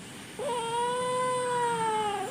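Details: Kitten meowing in a back-and-forth with a person speaking Malayalam: one long, drawn-out, steady mewing cry lasting nearly two seconds, starting with a brief rising onset and ending with a slight upturn.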